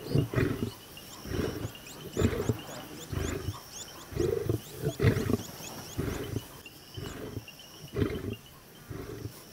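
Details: A lion in the Maasai Mara lying over its catch after a buffalo hunt. Gives deep, breathy grunts roughly every second or so, with faint insect chirring and bird notes in the background.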